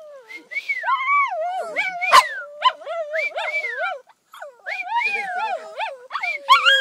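Two Shih Tzus howl together in high, wavering, overlapping tones that rise and fall, with a short pause partway through and a sharp click or two.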